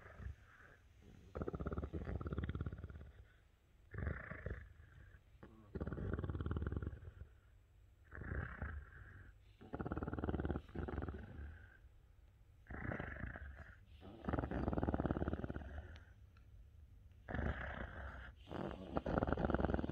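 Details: An English Cream Golden Retriever makes low, rumbling, clicking growls that are likened to the Predator. They come in throaty bursts about every one to two seconds, with quiet gaps between them, indoors.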